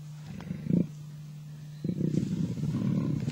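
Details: Two male lions in Africa fight over a kill. A short low growl is followed by a pause, then a longer sustained rumbling growl.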